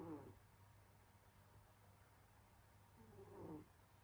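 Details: Winter-sleeping pet cat Senyora Betsy lets out two soft snoring breaths, one at the start and a longer swelling one near the end, separated by a quiet pause with low hum.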